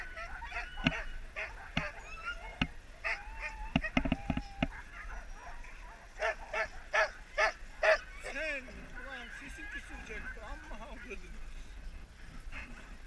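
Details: Sled huskies resting during a husky safari in Lapland, Finland; several dogs give overlapping yelps, short barks and wavering, rising howls, with bursts of sharp sounds and some speech in the background.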